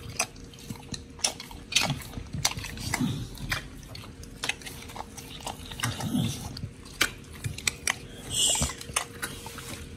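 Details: Two pit bulls, Oli and Nommy, eating raw food including giant white snapper on a raw prey-model diet, recorded October 21, 2023: wet crunching bites and squelching chews in irregular bursts, with louder grinding surges around the third, sixth and eighth seconds.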